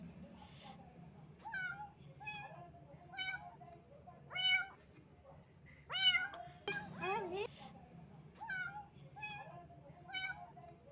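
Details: Rain-soaked little cat shivering from the cold, crying with a series of short, fairly high meows at irregular intervals, a few louder drawn-out ones midway, over a low background hum.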